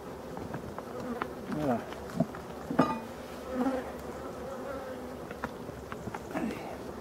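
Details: European dark bees buzzing around a Voirnot hive being prepared for winter, one of the abandoned hives in a forest, 30 October 2021; low wavering hums that rise and fall as single bees fly close past, over a soft background drone.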